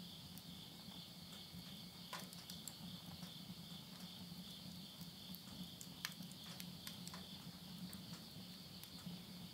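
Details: At midnight near the end of summer, September 2020, insects in the Japanese countryside of Yurihama, Tottori, keep up a level high chirring; wood crackles in a stove and a low rumbling murmur fills the background.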